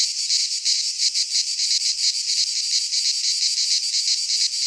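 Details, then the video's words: Greek pine forest cicadas in midsummer produce a loud, shimmering buzz with a slower throb, roughly one or two pulses each second, the chorus holding constant without gaps. "Cicadas singing in midsummer - Nature sounds from the Greek fauna - Sounds of cicadas"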